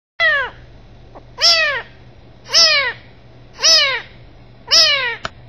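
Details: Kitten meowing: five high, piercing meows, each a quick downward-sliding cry, evenly spaced about once a second against a quiet background.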